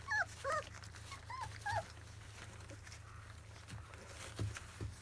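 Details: Field-type Labrador Retriever puppies, 25 days old, at their first weaning meal, give a handful of short, high, bent whimpers in the opening two seconds, then quieter snuffling and rustling over a low hum.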